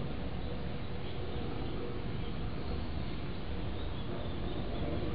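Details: White pet cat resting on its owner's knee, purring: a steady, unbroken low rumble that holds evenly for about five seconds, with soft hiss-like background noise and no other clear sounds.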